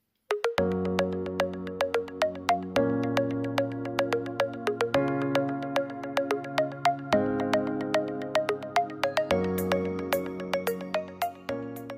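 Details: Bright synthesizer music with a plucked, repeating melody over bass chords and no animal sound.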